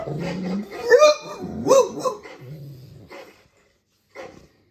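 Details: Dogue de Bordeaux guard dog reacting to strange sounds: a low grumble, then two loud, rising, harmonic barks close together, a deeper growling murmur, and a last short woof after a pause.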